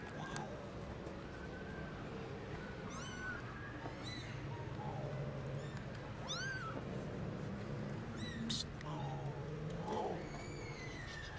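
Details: Tiny kittens in the garden for the first time, meowing loudly: scattered thin, high mews, some rising then falling, over steady low noise and faint voices.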